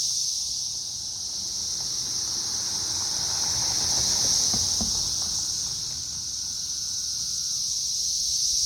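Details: Swarming periodical cicadas on a tree in May 2024, the third week of their emergence, make a continuous shrill hiss. Faint lower clicks and a passing mid-pitched sound can be heard in the middle.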